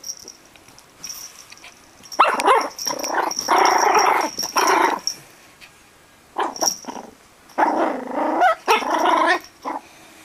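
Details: Tiny fluffy Yorkshire Terrier puppies growling and barking in several long, rough bursts, with short yips between them and a thin steady background tone.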